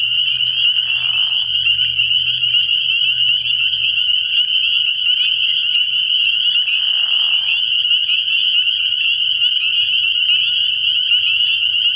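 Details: Spring peepers massed at a frog pond at night early in the year, a continuous shrill peeping chorus, broken by two short lower rasping bursts and a low hum in the first few seconds.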